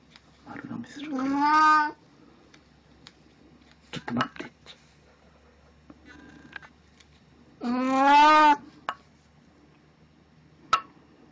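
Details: Domestic cat named Puran, dressed in a Snow White costume for an encore after a birthday party, recorded indoors on 1 April 2017: two long, wavering, harmonic meows about six seconds apart, with faint taps and clicks between.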